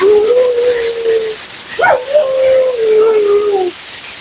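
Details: Mila, a talkative female Siberian Husky at her second-ever groom, vocalizes during her bath: two long sustained howl-like tones holding steady then sagging slightly, split by a brief sharp rising yelp, over constant hissing water or dryer noise.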